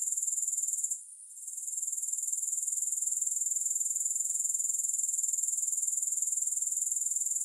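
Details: Relaxing grasshopper sounds with no music: a bright, high, rhythmic trill of roughly four pulses each second, dipping into a short lull early on before resuming steadily.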